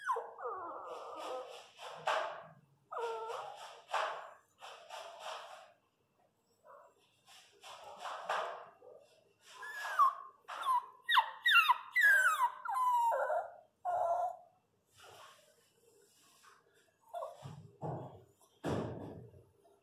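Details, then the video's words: Newborn Miniature Pinscher puppies during a natural home birth: high, wavering whimpers and squeals in short repeated bursts, some rising and falling, about once per second, with brief bits of a woman speaking Portuguese. "Parto Natural de Filhotes Cachorro Pinscher"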